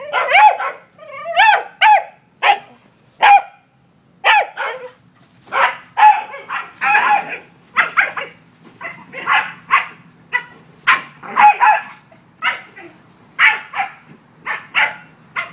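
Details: A corgi herding an out-of-control yellow ball gives a rapid series of sharp, high-pitched barks and yips, bunched in quick bursts.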